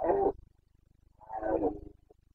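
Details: Carpathian red deer stag roaring in the Bucovina forests during the September rut: two rough, hoarse bellows, the second longer and swelling, over a steady low pulsing background.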